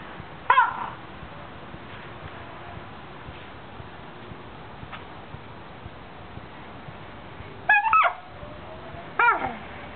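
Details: A Basset Hound squeaking with joy while lying almost on a quilt: three short, high, sharply rising and falling squeaks, one near the start and two toward the end, separated by long quiet stretches of low room noise.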